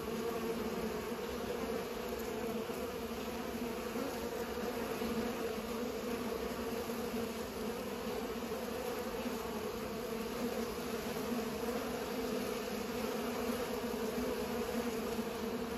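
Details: Bees at work pollinating; a dense, continuous buzz of many wings keeps a level hum for over fifteen seconds, with slight flickers in intensity.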